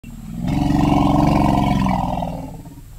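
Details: Elephant oral rumble from a research recording on rumble production types: a deep, steady harmonic drone that swells after half a second, holds for about two seconds, then fades, with many stacked overtones.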